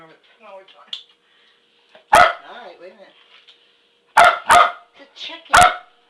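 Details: Dog chasing a toy chicken while being urged on, giving three or four sharp, loud barks in quick bursts, two close together, after a woman's encouraging chatter and clucking calls to the toy.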